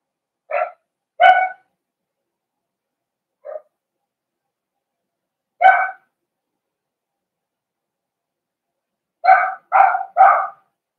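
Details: In a pen of four-week-old Cavalier King Charles Spaniel puppies meeting older dogs, short barking yips come in an irregular series: two early, one soft, one mid-way, then three quick ones close together, silent between.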